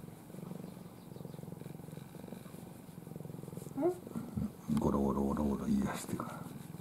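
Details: Ai, a pampered domestic cat asleep in her owner's arms with face covered, purring low and steadily for several seconds before a woman's Japanese speech takes over.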